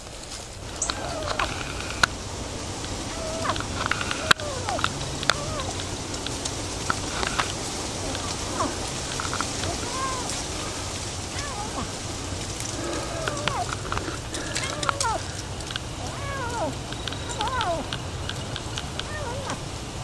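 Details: A hungry feral kitten, brought by its feral mother to be fed, gives short arched meows again and again, some rising and falling, over a steady rural background hiss with scattered clicks and faint voices.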